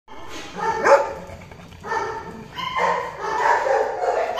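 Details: Golden retriever during mating, giving a few short, tonal whining yelps with a sharp peak near the start, then quieter drawn-out whines over a low background murmur.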